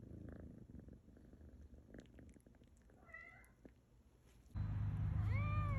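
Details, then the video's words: Cat or kitten giving short mewing calls: a brief rising-falling mew, then after a sudden jump in low background rumble, a clearer arching high mew near the end. "Cat And Kittens Meowing"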